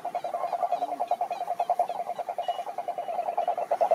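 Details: A toad chorus of rapid, throaty pulses repeated about twice a second at a steady mid pitch, uneven in rhythm as calls overlap. Males call this way to attract females. One brief lower note sounds early on.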